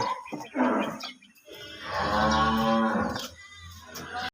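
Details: Cattle on a cow farm giving a long, low, droning moo of about a second, framed by shorter lowing calls before and after, with people talking quietly nearby.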